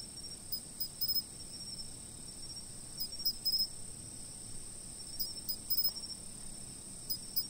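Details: Insects chirping, recorded with a fixed camera: steady high-pitched shrill tones under short clustered bursts of sharper chirps, repeated about every two to three seconds against a faint low background hiss.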